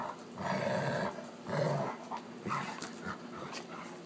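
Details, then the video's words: Wolf hybrid Sakima playing at night with a female Alaskan Malamute, recorded on an iPhone: deep, rough growls in two long bursts, then shorter broken grumbles and scuffling noises. "Wolf Hybrid and Alaskan Malamute Play at Night"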